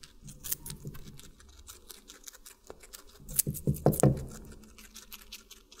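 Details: Guinea pig eating watermelon, close-miked indoors: crisp, irregular crunching and clicking bites, growing into a dense burst of loud wet crunches near the end, then softer nibbling.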